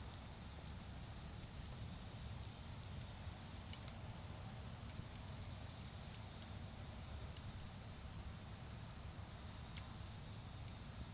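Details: A constant, shrill insect trill rings without pause through an autumn night in a garden with a bonfire burning; occasional faint crackles from the flames and a soft low hum of far-off road traffic sit beneath it.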